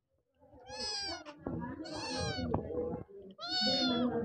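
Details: Stray Persian kittens wanting food and shelter give three loud, drawn-out, strongly harmonic meows, each rising then falling, about one every second and a half, with faint voices in the background.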